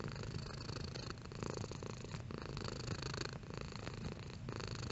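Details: Close, fairly loud cat purr, a dense low vibrating drone with faint breath noise riding on top and brief dips between breath cycles.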